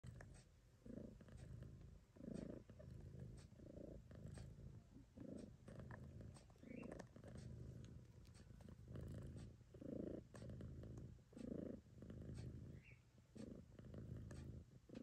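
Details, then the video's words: Domestic cat named Choo-Choo Kitty purring while nursing her kittens, a low continuous rumble pulsing in steady breaths roughly every second, with faint clicks and small kitten squeaks over it. "Choo-Choo Kitty purrs while feeding her babies"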